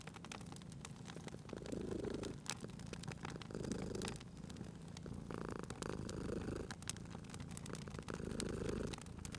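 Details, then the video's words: Cat sleeping near a crackling fire, its soft purr rising and falling in gentle waves under louder snapping and popping of logs, with a short smoother hiss partway through. "Cute Purring Cat at a Crackling Fireplace"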